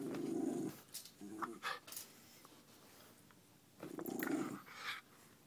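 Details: A silver miniature schnauzer, who likes to paw at his owner when poked, gives low, rumbling growls in two long bursts with short huffs between.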